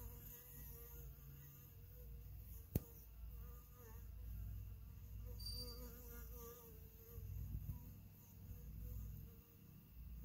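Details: Western honey bees (Apis mellifera) buzz in a low, steady drone with a faint hum near 500 while a worker bee cleans and feeds the queen.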